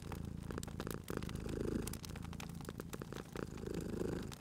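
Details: Cute domestic cat purring by a crackling fire indoors, a deep continuous rumble pulsing with each breath, overlaid by frequent snapping and popping from the fireplace.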